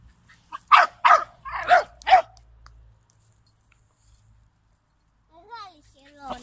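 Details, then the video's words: Jack Russell Terrier puppy, a Greek dog, hunting a large turtle: four sharp, high yappy barks in quick succession, then silence and a few thin rising whimpers at the end. "Jack russell pupa hunting a turtle"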